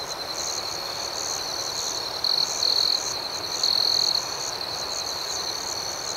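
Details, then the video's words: Nocturnal cricket chorus, high and steady, with a nearby cricket adding two brief bright trills in the middle, each lasting under a second, over rhythmic background pulsing. "Soothing Cricket Sounds"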